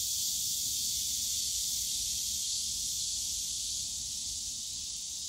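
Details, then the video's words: Summer cicada chorus at the Yongsan Family Park bamboo forest, an even shrill hiss-like buzz filling the air, easing slightly in loudness toward the end over a soft low hum of the park. "용산가족공원 대나무숲 매미소리"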